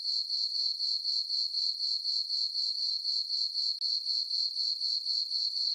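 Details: Steady high-pitched chirping of crickets on a calm summer night in a farm meadow beneath a full moon, regular pulses about four per second with one short break in volume, no other animals or noise.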